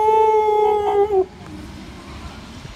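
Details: A single dog howl holds a level, clear tone for about a second, then drops and fades out, leaving quiet background.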